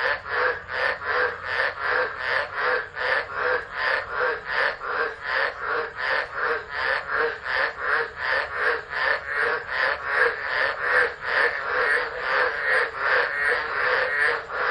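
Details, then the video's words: Frogs chorusing in a tropical storm at Driver, Northern Territory, Australia, 13 December 2013, from a phone left recording. Loud, regular pulsed croaks come about two to three per second in a fast, unbroken rhythm. "Tropical Storm Frogs Singing"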